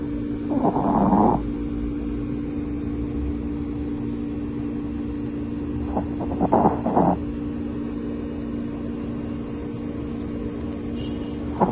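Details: A Shih Tzu in deep sleep snores in a few rough, breathy bursts over a steady low hum.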